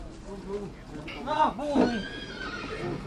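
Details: A mare, a female horse, at Satu Mare, Romania, whinnies in a quavering, wavering run of rising and falling arcs lasting about a second, with people talking and calling out around her.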